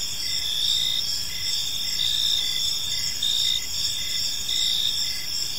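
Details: Crickets in an evening park produce a shrill unbroken chorus, with regular short chirps pulsing roughly twice a second underneath and a quiet low rumble of ambient noise.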